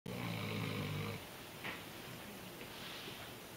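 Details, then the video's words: A female Weimaraner sleeping snugly wrapped up snores loudly like a human, a deep, rumbling rasp that trails into softer, breathy sounds. "Funny Weimaraner Dog Snoring sounds like a Human"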